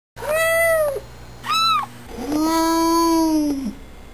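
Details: Young pet kitten meowing, shown at fast, slow and normal speed: a clear arched meow, a short high one, then a long, much lower drawn-out meow, all tonal and rich in harmonics, in a quiet room.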